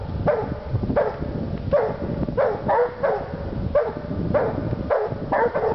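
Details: Two Walker Hounds treeing, a rhythmic series of loud short barks spaced under a second apart, each with ringing harmonics, overlapping one another above a steady low background rumble.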